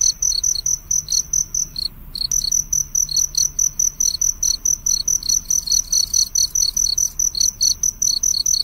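A cricket chirps in rapid, high-pitched pulses, a steady rhythmic trill repeating several times a second.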